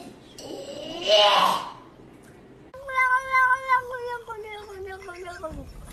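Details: Domestic cat making a funny little sound: a brief breathy noise burst, then a long, clear, tonal meow that slowly falls in pitch and fades out.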